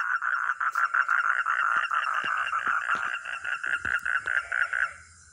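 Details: Loud pulsed croaking from a frog or toad, rough rasping notes in quick succession, growing more distinct toward the end before stopping abruptly into near silence.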